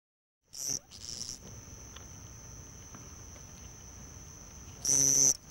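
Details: House cricket (Acheta domestica) near homes at Hammam Lif, Tunisia, on a summer night; a thin, steady high trill runs through, framed by two loud, harsh, buzzy bursts near the start and the end.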